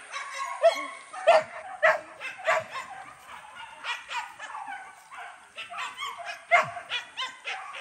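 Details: Dog at its first hunting training at a PORBI arena, Sungai Pingai, giving quick, uneven repeated barks, some higher and yelping, about one and a half per second.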